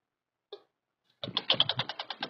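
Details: Douglas squirrel (Tamiasciurus douglasii), territorial chatter: territorial dispute between a male and a female.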